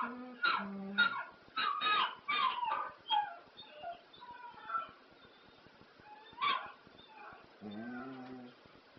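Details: Pet dog howling to ELO's classic Telephone Line: a run of loud, wavering, whimpering howls in the first three seconds, another cry midway, and a lower drawn-out moan at the end, with the song playing underneath.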